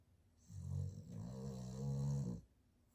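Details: Loud snoring from a sleeping Boston terrier, a single drawn-out deep rumble of nearly two seconds with a slight break partway, low and buzzy, in a quiet indoor room.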